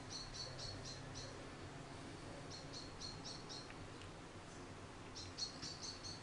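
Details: Charlie, a hand-reared orphaned baby grey squirrel that fell from its nest in a garden, gives thin high chirping squeaks in quick bursts of four or five, separated by short pauses, with soft room noise beneath.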